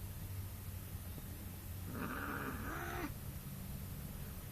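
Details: A cat gives one drawn-out, harmonic, moaning yowl lasting about a second, steady then slightly falling, over a low indoor hum.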